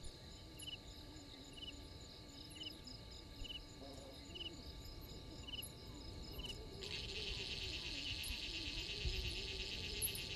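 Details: Crickets calling at 03:44 on 12/04/21 by Gowrie dam, Djuma Game Reserve, South Africa: spaced high pulsed chirps, then a dense shrill buzzing chorus swells in after seven seconds, with low murmuring noise beneath.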